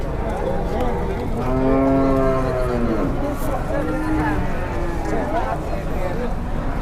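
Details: An angry cow or bull unloaded from a truck gives a strong, drawn-out moo that swells and then fades. Shorter lowing follows, while people talk and the outdoor noise carries on steadily.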